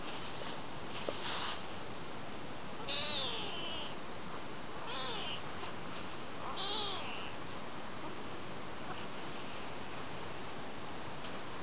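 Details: Tiny kitten under a month old in rural Japan, brought home in spring by a white female cat named Sara, crying while following and climbing into a hand: three high, wavering meows about two seconds apart over steady rustling outdoor hiss.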